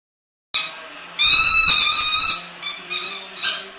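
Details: AJ, a Jack Russell Terrier, making his annoying sound: one long, piercing, high-pitched squealing whine, followed by three shorter whines in quick succession.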